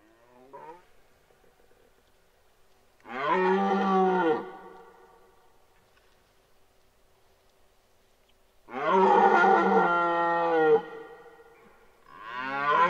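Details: Male red deer in the 2023 rut, Parc naturel de Boutissaint, giving deep, hoarse bellows: a short grunt, then a roar of about a second and a half, a longer two-second roar, and another starting, in an otherwise quiet setting.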